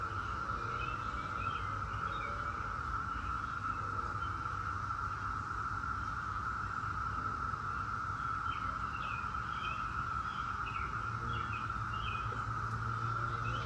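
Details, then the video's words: Massed Brood X periodical cicadas, the 17-year brood, hold a constant buzzing drone without pause, while small birds twitter faintly in the background and a low, steady hum runs underneath. "17-Year Cicada Brood X Sounds"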